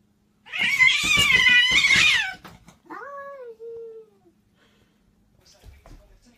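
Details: Domestic cat from a funny crazy-cats compilation, giving a loud, wavering, strained yowl lasting under two seconds, then a shorter falling meow that trails off, followed by near silence with a faint rustle.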